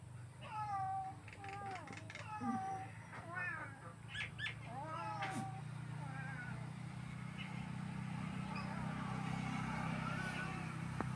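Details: House cat uttering a quick series of short, bending meows during the first half, some overlapping and rising then falling, before fading into steady low-pitched background noise and rumble.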